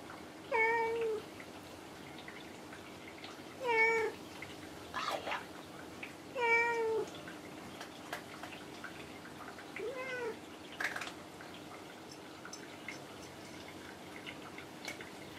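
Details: Kinako, a pet cat resting up high on a shelf or cage indoors, answering when spoken to: four short, clear harmonic meows spaced about three seconds apart, with faint clicks and soft room noise between them.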